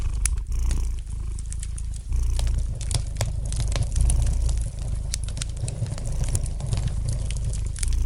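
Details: Cat purring by a crackling fireplace: continuous low vibrating rumble, strongest on long inhalation-exhalation swells, with scattered light pops and crackles from the burning fire above it.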